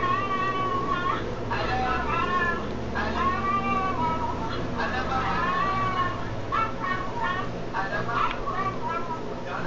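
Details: A pet dog 'talking': a series of short, rising-and-falling whiny yowls, almost word-like, repeated in quick bursts with a steady background hum.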